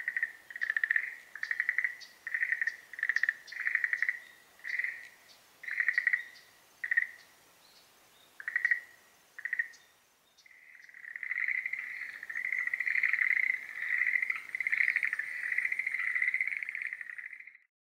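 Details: Schlegel's green tree frog in breeding season giving pulsed croaking bursts at a steady pace, then after a pause a long continuous trilling rattle lasting about seven seconds, with faint high tones above.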